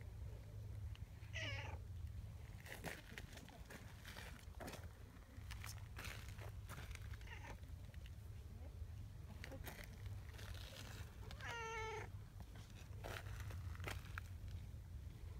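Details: Affectionate female brown tabby community cat meowing during a friendly encounter; two harmonic meows, a short one early and a longer falling one near the end, over steady low rumbling background noise and occasional clicks.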